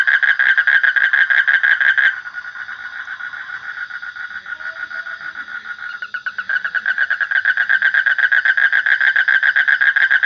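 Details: A loud frog call made of rapid, evenly spaced clicking pulses. It softens briefly after two seconds, then returns to a strong, rattling rhythm with about four pulses each second. The background is quiet.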